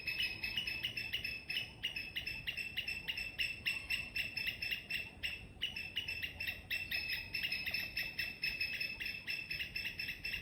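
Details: Morning squirrel giving loud, rapid chirps in an even rhythm, several per second, each short and sharp; the series breaks briefly midway, then resumes at the same pace, with soft low-frequency hum behind.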